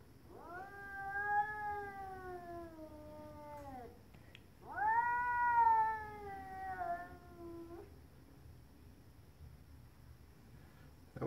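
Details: A stray cat outside, tail swollen, gives two long, moaning yowls of about three seconds each, separated by a brief pause. Each wail swells and then slowly falls in pitch, followed by quiet.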